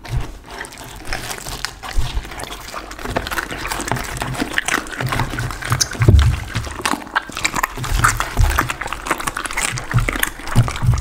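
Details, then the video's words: A pit bull chews raw chicken, duck and cauliflower for lunch indoors; wet, squelching mastication with frequent crunchy clicks, loud and continuous, recorded close for ASMR. "ASMR dog 狗狗的午餐，生的雞鴨子菜花！最強咀嚼聲"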